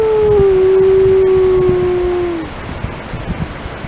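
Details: A single grey wolf howl from the Lamar Canyon Pack in Yellowstone: one long, steady, low tone held about two and a half seconds, dropping slightly before fading, with faint higher voices behind it.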